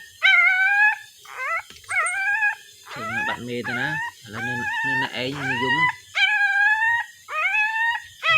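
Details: Puppy crying and searching for its mother: high tonal whines with stacked harmonics, some short and quavering; a lower moaning voice, likely a person, overlaps in the middle section.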